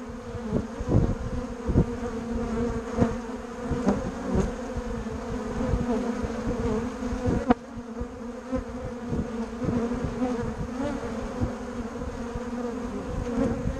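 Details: Steady humming from a crowd of bumblebees and honeybees at Bourneside, the drone unbroken throughout, with frequent brief swells as individual bees pass nearby and one sharp click midway.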